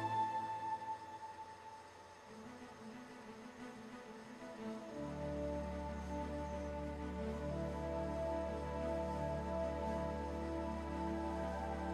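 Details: Soft, sustained ambient music swells and deepens, with no animal voice heard. A low drone enters midway and holds to the end.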